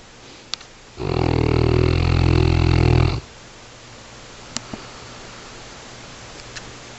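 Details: Dog asleep, giving a single deep, harsh snore of about two seconds with a strong low rumble, then near silence in a quiet room broken by a couple of faint clicks.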